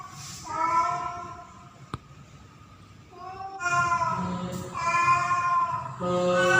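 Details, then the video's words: Female cat Pretty, in heat during mating season, calls to attract a male: a short meow, a click, then long loud yowls building to near-continuous wailing. "KUCING BETINA MEMANGGIL JANTAN || Female Cat In Heat Calling Male Cat"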